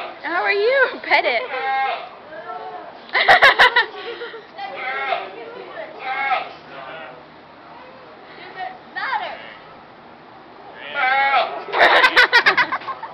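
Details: A bearded goat alone at a county fair, apparently missing its fellow goats, bleats loudly in wavering, quavering bursts while people chatter and clap nearby.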